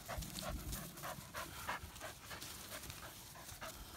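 An English Springer Spaniel pants quickly, with breathy huffs coming about three times a second.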